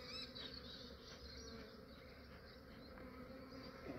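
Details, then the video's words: Honey bees of a massive Australian swarm being captured in the early morning, before warming and becoming active, make a dense, continuous droning buzz that wavers slightly in loudness; faint bird calls sit in the background. "Capturing a massive bee swarm"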